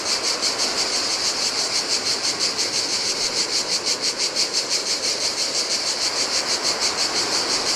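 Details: Shrill, rhythmically pulsing buzz of cicadas singing in the heat at a desolate Greek island beach on the Adriatic, about three throbs per second, with gentle waves washing over sand below.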